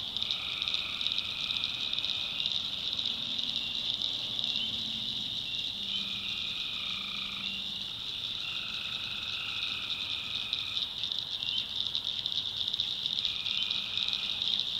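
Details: North Carolina backwoods swamp at night, tree frogs forming an unbroken high-pitched chorus while several long even trills overlap and alternate at lower pitches, plus soft low croaking notes in the middle.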